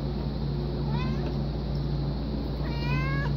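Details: A pet domestic cat, described as very vocal, lets out a brief meow followed after a pause by a longer, downward-curving one, with a steady low-pitched hum underneath.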